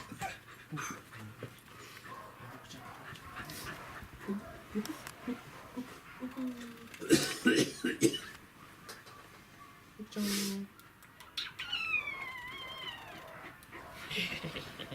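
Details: Welsh Corgi dog chasing a laser pointer, recorded 28 April 2019; wavering, high-pitched whines sliding up and down near the end, with short whimpers, scuffling and panting, and people speaking in the background.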